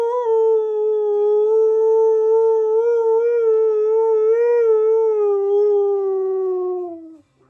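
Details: Pet Siberian Husky Keyush singing along to Flash by Queen, one unbroken howl of about seven seconds, steady with gentle vibrato-like wobbles, then sagging downward as it fades out.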